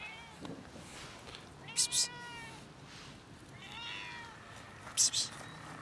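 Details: Three stray cats meowing for food in the winter cold on a routine walk; two clear drawn-out meows about two seconds apart, each falling slightly in pitch, between sharp psst hisses from a person.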